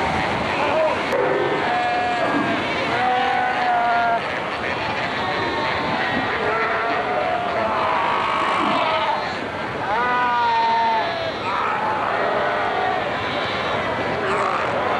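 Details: Namibia's Skeleton Coast, Cape Cross Seal Reserve, 1992: a Cape fur seal colony fighting and rearing pups. Wavering, sheep-like bleats and drawn-out moans stand out over a constant din of many seals calling at once.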